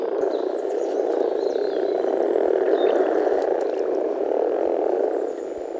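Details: Rana temporaria males grumbling in chorus at a forest pond during spring mating, a thick low purring drone that fades slightly at the end, with faint high bird calls above.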